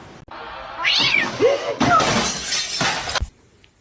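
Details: Domestic cat giving short arching meows over a sudden crash and clatter of noise, the meows rising then dropping in pitch.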